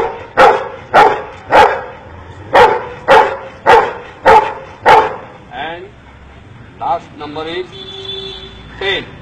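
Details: Dog taught by an Indian man to count gives seven sharp, evenly spaced barks about half a second apart, then a man speaks.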